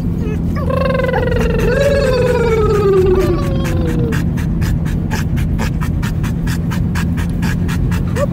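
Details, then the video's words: Dog yodeling in a car gives a long wavering vocal note that slides slowly downward for over three seconds, warbling in the middle. The engine drones low throughout, and a regular clicking tick continues after the dog falls silent. "my dog yodeling in the car"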